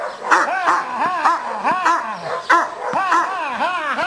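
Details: Cane Corso in stick aggression training at a working-dog school in Piatra Neamț, Romania, giving a continuous run of harsh barks, about one and a half per second, with arching yelping tones and little pause.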